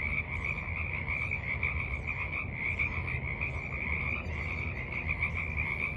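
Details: A dense chorus of frogs gives a steady, high, trilling croak with a low background rumble, at a forest pond in the evening, where ducks and birds also call; 28 March 2023.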